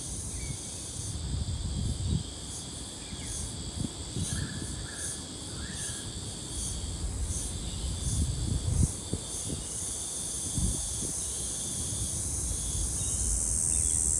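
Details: A cicada, probably a Brown Bunyip (Tamasa tristigma) though possibly a Double Spotted Wattle cicada, recorded 3 February 2023, sings a high, droning buzz, pulsing at first and then steady.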